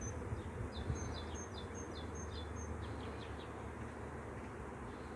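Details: Bees swarming make a continuous deep droning buzz. A bird's quick series of high chirps is heard in the first half.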